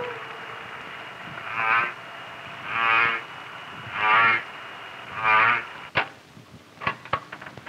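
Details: Humpback whale voice recorded underwater near the Silver Navida Banks calving grounds, warm seas: long, quavering, rising-and-falling moans, each about a second long and spaced about a second apart, over a steady hiss ending in a few sharp clicks.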